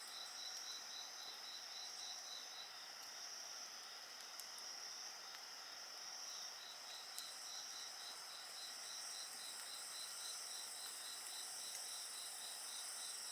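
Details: Insects trilling together near a bonfire, a clear beaded pulse repeating rapidly beneath high sustained buzzy tones, with light crackling of flames now and then.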